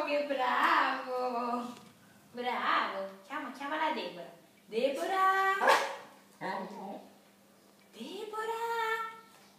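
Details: Cocker Spaniel 'speaking': a run of drawn-out, voice-like whining yowls, several rising in pitch, given in about six separate bursts with short pauses between, sounding like a dog trying to talk.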